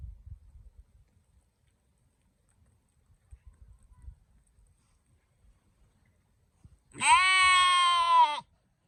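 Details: Sheep and lamb: after near silence with faint low rustling, one loud, drawn-out, nasal bleat of about one and a half seconds, steady in pitch with rich harmonics, ending abruptly.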